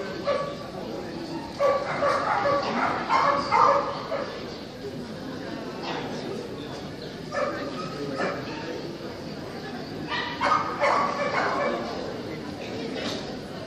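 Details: Open class Kerry Blue Terrier bitches being judged at the Club Terrier 120-year show; bursts of quick barking near two, eight and eleven seconds against continuous background talk from spectators.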